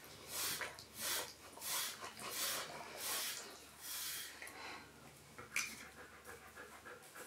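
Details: Siberian Husky panting while being groomed indoors during its coat shed: breathy, hissing bursts repeated steadily, roughly one and a half per second, with soft brushing rustles between breaths.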